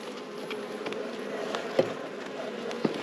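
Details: Open beehive in an apiary as a nectar-laden frame is set aside during inspection: a dense, continuous buzzing hum of many bees, broken by a few sharp clicks and knocks of frames being handled.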